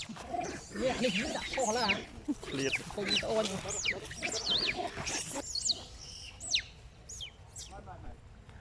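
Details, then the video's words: Monkeys during a fight between two monkey groups, a little monkey crying very loudly like a bird: high, sliding squeals and wavering cries over rough chatter, fading in the last seconds, with people talking in Thai. "Little Monkey Cry Very Loudly Like Bird"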